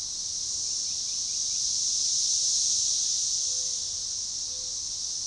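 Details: Near DeValls Bluff, Arkansas, on June 7, 2015, periodical cicadas, Magicicada tredecassini, hold an organized chorus along a forest-edge trail. An intense steady high buzz swells gently midway, and a few soft short whistled notes from another bird sound faintly.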